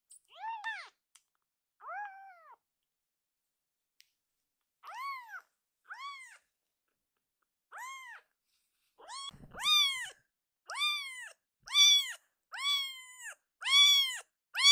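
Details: Rescued foster kitten Akuro suddenly crying loudly, the kind of crying that stops when held: sparse arched meows at first, then louder, closer-spaced cries roughly once a second toward the end.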